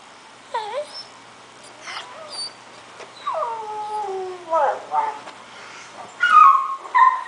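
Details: Scottish Terrier puppy under a year old, worked up while watching online videos, gives scattered whines and yelps, one long wavering descending whine in the middle and a louder rising cry at the end, in a quiet room.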